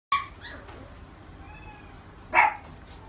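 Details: Black female Labrador Retriever born 26 August 2017 gives two short, sharp barks, about two seconds apart, against a low steady background hum.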